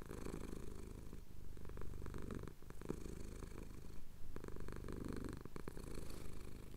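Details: Male pet cat purring as his chin is scratched at sunrise in the Cotswolds, captured on a Tascam DR-07X recorder. Continuous deep rumble rising and falling with each breath, brief quiet gaps.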